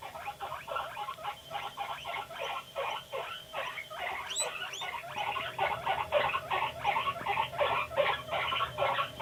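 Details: Panda, a pet guinea pig, vocalizing while videos play: a steady train of short chirping squeaks, roughly two to three per second, growing a little louder toward the end, with a brief higher squeal midway.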